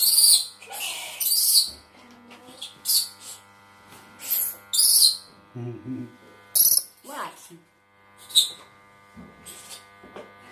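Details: Orphaned spectacled flying-fox babies in rescue care, recorded 16 December 2017, give shrill high squealing bursts, often doubled, repeating every one to two seconds, over a steady electrical hum with a brief low voice in the background.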